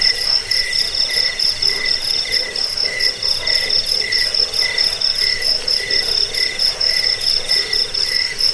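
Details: Crickets calling to repel rats, aid sleep and train caged birds: a shrill steady trill high up, with lower chirps pulsing roughly twice a second, a few faint higher clicks, multiple insects together.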